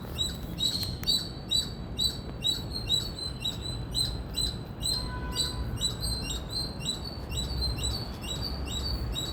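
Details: Loud chirping from an Indian squirrel, with quick high chirps repeating roughly twice a second in even pulses over steady low background noise and a faint short tone midway.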